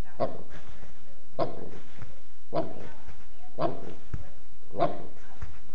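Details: Norman, a Mastiff cross dog, gives five deep, loud barks, each about a second apart, with a short whimpering sound between them and a little background noise.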